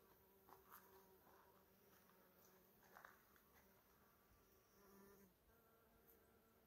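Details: Honey bees foraging on strawberry tree flowers: a steady, low droning buzz runs throughout, its pitch wavering as the insects move, swelling louder around one, three and five seconds, with faint soft clicks in the background.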